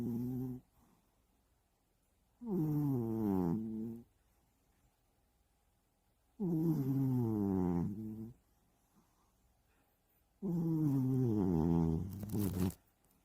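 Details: House cat snoring while sound asleep for hours in a hideaway bed indoors; slow, breathy harmonic snores lasting about one to two seconds each, recurring roughly every four seconds with quiet gaps between.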